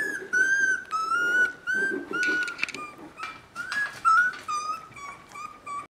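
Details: A chorus of three-week-old Border Collie pups giving pleading, high, drawn-out whines, some gently sliding down in pitch, each about half a second long, packed closely together with a little rustling underneath.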